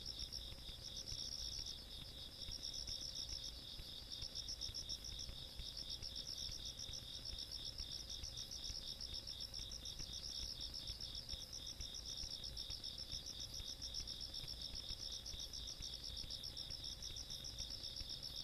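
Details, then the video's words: Insects calling on a countryside night, 17 August 2022: a dense, steady chorus of high, rapidly pulsed chirps in two layered pitches, several callers overlapping without pause, over a faint low rumble. "시골밤 벌레소리"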